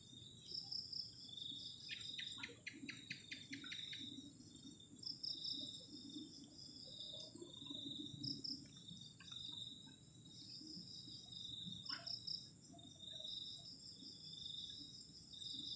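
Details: Cold-night crickets by a camping shelter at the edge of a forest, their high-pitched trills beating in short rhythmic pulses that come and go, with occasional soft knocks and a low background murmur.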